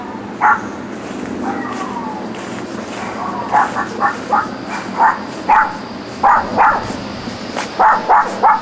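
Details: Neighbours' dogs left alone all day in a back yard, yapping on weekdays from 9am till 6pm in 2006; sharp mid-pitched yaps come singly at first, then in quick pairs and triplets over a steady background hum.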